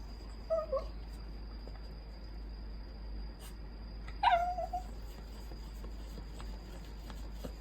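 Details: A poodle adopted after being abandoned grumbles for attention with two short, bent whine notes, one early and a stronger falling one midway, separated by near silence and a steady faint electrical hum.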